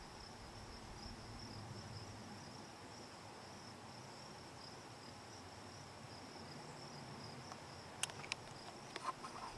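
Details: Cicada Hadoa inaudita (formerly Tibicen inauditus) on a juniper in Picket Wire Canyon, SE Colorado, July 9, 2009, about 8 PM; a continuous high-pitched buzz drones evenly, with a few sharp clicks near the end.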